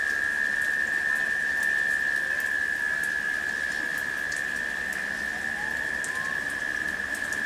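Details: Late-summer cicadas humming through a shower of rain: a constant, even drone with no pauses, under continuous rain hiss, sharp drip clicks and a faint rising whistle near the end.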